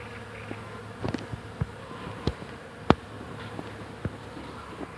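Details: Many bees buzz around flowering hawthorn in spring, tall bushes in bloom, blending into a continuous low, droning hum that holds steady throughout, with a few brief sharp clicks and taps cutting through now and then.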